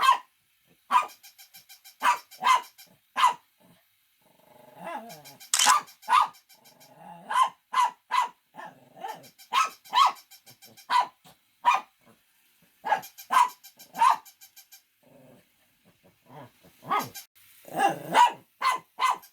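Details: Domestic dogs barking loudly in short sharp bursts, singly and in quick doubles and triples, with brief pauses, alternating with a fast series of soft, regular clicking pulses.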